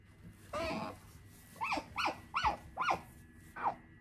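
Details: Female pet otter crying while settling in for a nap indoors: one longer wavering cry, then a rapid run of arched, rising-falling squeaky chirps, about five in two seconds, with faint room hum.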